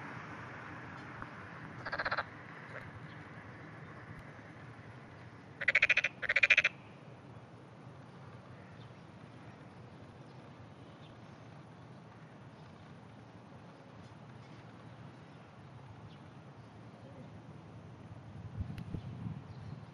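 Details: Distant frogs calling and clamouring in the clear early morning of 27 June 2009, filmed from far off with zoom. A short rattling croak near two seconds, then two loud pulsed croaks close together around six seconds, over a low steady hum.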